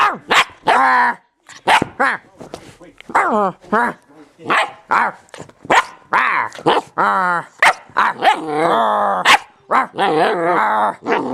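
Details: German Shepherd puppy play-attacking indoors: a rapid, nearly unbroken run of high, yappy barks and whiny, growling yelps, some drawn out and wavering, with a person's voice mixed in.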